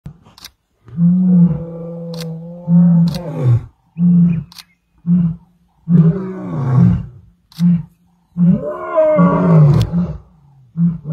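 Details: Male lion giving a thunderous roar at Klaserie Drift Reserve on 2 October 2023: deep, booming low moans broken into repeated grunting bursts with short silences between, carrying strong rumbling harmonics.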